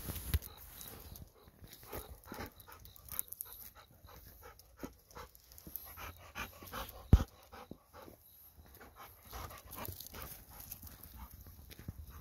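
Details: Golden Retriever indoors after returning from a night walk, eager for a treat of sweet potato; soft rapid panting and clicking mouth sounds in irregular bursts, with a few louder sharp knocks over a quiet room.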